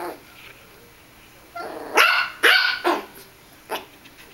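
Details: Russian Toy Terrier at play with a mouse on a bed: a quick run of shrill, clipped yaps, three close together, then a lone final bark after a pause.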